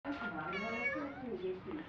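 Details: A pet cat named Me, in a dialogue with its owner, gives a drawn-out wavering meow with low human voice-like sounds beneath, indoors.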